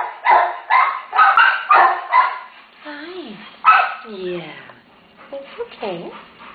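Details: Terrier mother, a rescue case with day-old puppies, lets out a quick string of barks. Gentle soothing human talk follows, with thin whining sounds toward the end.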